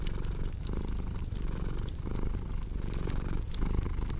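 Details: Cat purring alongside a cozy crackling fireplace, a sleep and relaxation mix: steady low rumbling purr swelling and fading with each breath about every second, sharp fire crackles and pops scattered on top.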